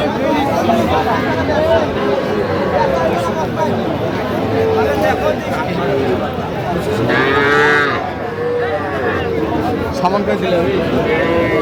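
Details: Young bulls and heifer calves at a Kushtia cattle market, Bangladesh, 8 October 2025, give overlapping moos within a dense babble of buyers' voices. A louder, strongly layered call stands out around seven seconds.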